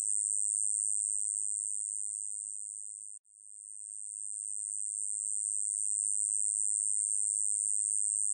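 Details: Hexacentrus japonicus katydid song, recorded in 2020: a continuous, very high, hissing buzz broken once by a brief pause.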